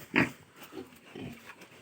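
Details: Pigs on a farm started in 2020 with Landrace, Hampshire and local Hu breeds; one sharp, harsh squealing grunt followed by two softer, lower grunts.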